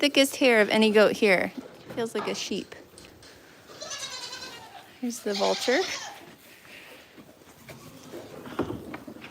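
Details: At The Willful Goat Farm & Home, a quavering goat bleat opens the recording, followed by a shorter bleat and quieter calls. Human voices and indoor background noise fill the rest.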